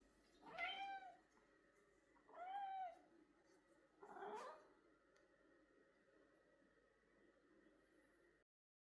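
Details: Pet cat greeting its owner in the living room with three meows, spaced about two seconds apart: two clear rising-falling harmonic calls and a shorter, rougher third one, then a steady faint hum indoors.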